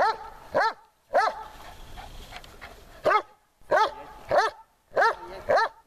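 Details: Dog barking during training on a hot day in Horlivka, 26 July 2020: about seven short, sharp, arched barks, often in pairs with gaps between, over a faint low outdoor rumble.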